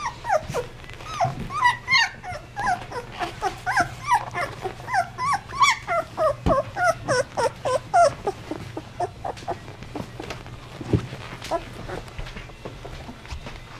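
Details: 16-day-old Basset Hound puppies in a litter whimper and squeak in rapid, rising and falling whines.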